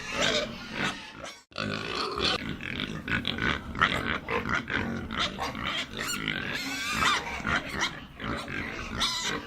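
Pigs grunting and squealing in a busy, overlapping stream of rough snorts and higher squeals, with a brief pause near the start.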